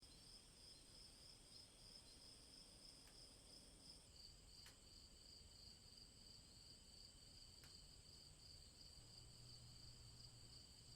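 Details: Crickets chirping in a steady, repetitive chorus of several overlapping high, thin trills that run without a break, with a few sharp clicks and a low hum beneath.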